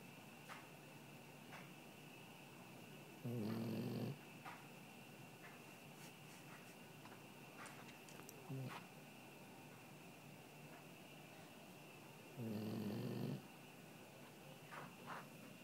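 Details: Sleeping dog in a living room giving two deep, rough snores about nine seconds apart, with a fainter snuffle between them; a constant thin high-pitched hum runs underneath.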